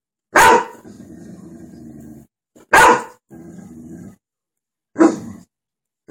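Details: A golden retriever barking at dogs on the TV gives three hard, explosive barks a couple of seconds apart, with a low, throaty growling rumble between them that trails off before each next bark.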